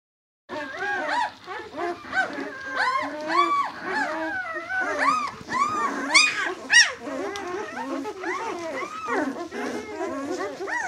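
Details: White German Shepherd puppies of the B litter, six days old, whimpering and squealing together: many overlapping high, arched whines and yelps rising and falling in quick succession, several pups calling at once throughout.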